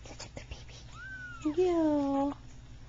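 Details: A single Persian kitten, three weeks old, from a litter of two red-and-white and one cream-and-white kittens, gives one high, thin, falling meow, followed by a lower drawn-out voice.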